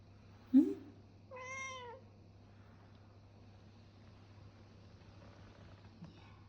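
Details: Nine-year-old indoor pet cat that asks for massages three times a day, making a brief chirp followed by a clear, slightly wavering meow, then quiet with a faint low hum and a woman talking softly.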